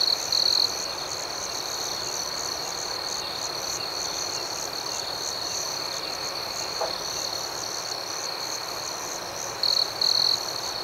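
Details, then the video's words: Outdoor night scene with crickets: a constant shrill trill and quick repeated pulses about four per second, with short louder chirp bursts near the beginning and again toward the end. "Soothing Cricket Sounds"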